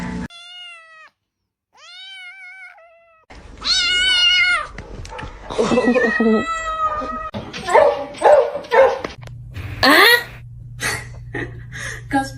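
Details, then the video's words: Cats fighting indoors: long, wavering, drawn-out yowls in pitched bursts, growing harsher and overlapping. People exclaim and laugh throughout, and a low hum enters near the end. "Cat Fight"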